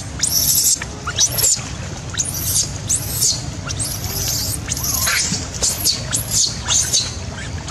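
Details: Abandoned infant macaque wailing after being left by its mother: a rapid series of piercing high screeches, arching up and dropping off, nearly continuous with brief gaps, low murmur underneath.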